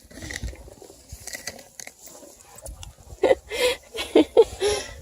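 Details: Vocal nine-week-old Bluetick Beagle cross puppies from the Remington and Hank litter, near Kingston, Ontario, Canada, being offered treats; about five short, sharp yips in quick succession near the end, after quiet handling noises.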